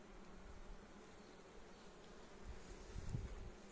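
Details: Honey bees humming inside a frameless Warré hive at its first 2024 inspection, an intensively working colony settled about five weeks before. Continuous low droning buzz, swelling slightly near the end, with faint handling knocks.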